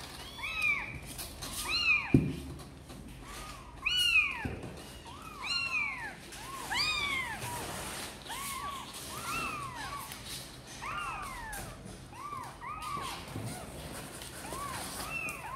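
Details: Kittens of the cats Sor and Kapov, apparently wanting to come out and play, mew over and over in a busy overlapping chorus of rising-and-falling cries, several callers at once, with a few louder, sharper squeals early on.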